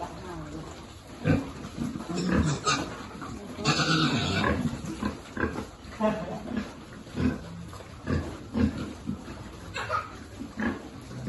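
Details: Piglet being fed on a pig farm, among a long-resident farm group: short, harsh grunts and squeals burst out irregularly, several close together around four seconds, over a low background rumble.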